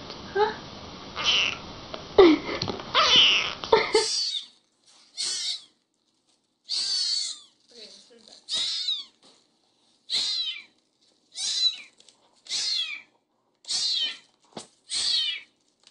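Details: Kittens meowing and talking: after about four seconds of human speech, a run of short high mews follows, roughly ten brief bursts spaced one to two seconds apart in a quiet room.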